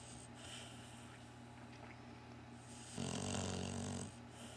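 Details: Barclay, a designer Cocker Spaniel and Shar Pei mix, snoring in his sleep: quiet wheezy breaths, then one loud vibrating snore of about a second, a coarse low rattle topped by hissing air, against a faint hum.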